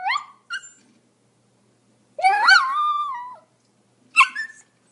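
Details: A Pomeranian gives two thin high yips, then a longer bending whine-like bark that sags and fades, and finally one short sharp yap.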